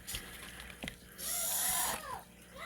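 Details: Large captive Madagascar hissing cockroach, kept as feeder stock for bearded dragons and leopard geckos, gives a loud breathy hiss lasting under a second, amid speech and the squawks of a pet Amazon parrot outdoors.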